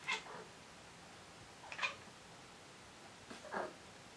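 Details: Indoor domestic cat in hunting mode gives three short, strained meow-like calls spaced roughly every one and a half seconds, the last one lower and more drawn out, with a quiet room behind.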